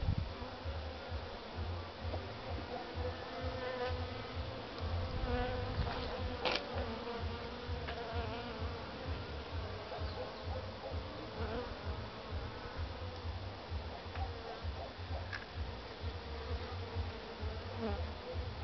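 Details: Honey bee colony found queenless at a spring hive inspection, with much food consumed and no brood; steady, dense buzzing hum with a strong low drone throughout and a few faint clicks from handling the hive.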